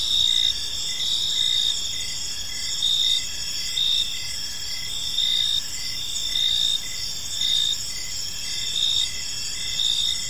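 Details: Crickets chirping in a park on an evening: a steady high chorus of pulsed trills, with brighter bursts swelling roughly every second over a constant bed of insect sound and faint low background noise.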